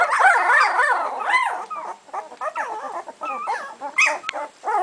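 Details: Sami and Drake's puppies at two weeks old, whining and yipping: a loud run of wavering squeals at first, then shorter arched whimpers and thin yelps, with a sharp click near the end.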